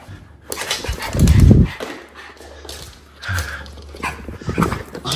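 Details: Two Miniature Schnauzer brothers, supercharged and feisty after haircuts and baths, roughhouse indoors in November 2023. A deep, rumbling growl swells for about half a second, framed by softer scuffling, a person talking, and background music.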